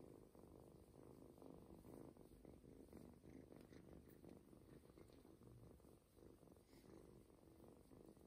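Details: Adopted ginger kitten purring during a belly massage, relaxed and nearly falling asleep indoors; soft steady continuous low rumbling purr with faint rubbing sounds.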